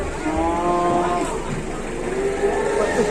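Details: Moos from cattle carried on an overloaded truck: a wavering, tonal lowing that rises and falls and then trails into a lower drawn call, with a low vehicle rumble underneath.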